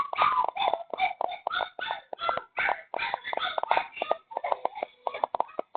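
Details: Stray puppy that strayed in at midnight and was taken in, whimpering and crying indoors in Dauin, Philippines; quick, nasal, wavering whines in close succession, softening toward the end.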